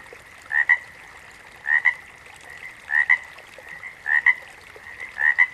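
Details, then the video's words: Frog calling five times in a steady rhythm, roughly once a second. Each call is a clipped double note, the second piece slightly higher and sharper, over a faint constant background hum. "Frogs - Nature Sounds"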